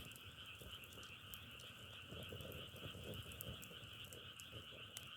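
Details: Massed frogs produce a continuous droning trill in two steady pitches, joined by frequent sharp clicks and pops from crackling firewood and a soft low murmur beneath.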